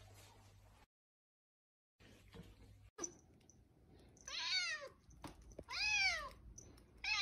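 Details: Domestic cat in a compilation of cat scenes: three clear meows, each rising then falling with bright harmonics, spaced about a second apart after a quiet start with background hiss.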